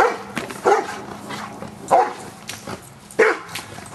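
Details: A Giant Schnauzer named Luther in Schutzhund stick-hit training on 25 April 2009. Three loud, separate barks about a second apart, with quieter background between them.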